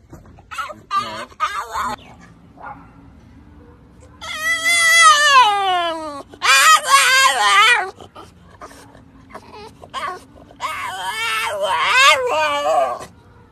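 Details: A French Bulldog gives high, squeaky whines that slide downward in long drawn-out bursts while out walking with its owner.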